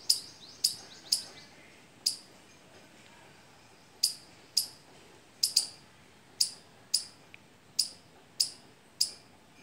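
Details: A squirrel on a mango or litchi tree, where it arrives as soon as fruit sets and stays all season, gives sharp, high chip notes in an uneven rhythm about once or twice a second.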